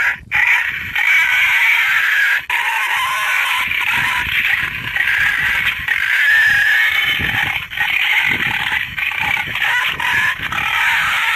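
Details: Wild boar sound used by a boar hunter to draw animals to bait: a long, unbroken shrill squealing that wavers in pitch throughout, with a short gap near two and a half seconds.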